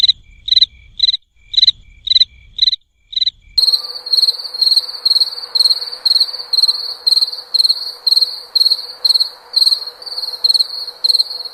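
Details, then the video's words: Crisp cricket chirps spaced evenly over low rumble, then an abrupt switch to faster, denser shrill pulsed chirping with a steady faint hum. "SOM DE GRILO"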